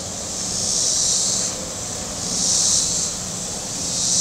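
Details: Shoreline cicadas at Table Rock Lake in southern Missouri on a hot Saturday give a high, shimmering buzz that rises and falls in about three waves, one every 1.6 seconds, with a soft low rumble of boat motors beneath.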